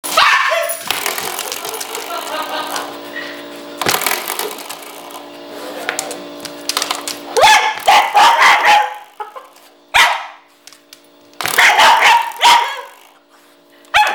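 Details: Pet dog reacting to a door stopper spring it hates, discovered by accident: a twanging, ringing spring tone repeats through the clip, answered by rough bursts of barking and growly yelps around eight and twelve seconds.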